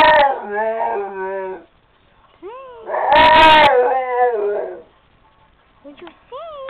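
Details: Female Rottweiler lying on a couch, singing: loud quavering howls with a strained, raspy middle section, separated by a short rising whimper and quieter yips near the end.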